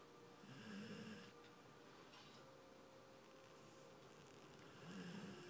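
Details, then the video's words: Ruby, a sleeping dog lying in an odd position and snoring loudly: two raspy snore breaths about four seconds apart, separated by quieter breathing, over a faint steady indoor hum. "Snoring dog"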